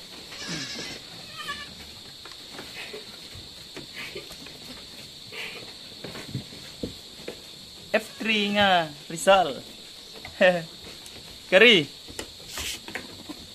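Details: Anglo-Nubian goats at Terra Grande Farms, San Carlos City, Negros Occidental, Philippines, during a birth of seven kids in one day; quiet stretch gives way to loud, wavering bleats from about eight seconds, several in quick succession, with steady hiss and faint voices.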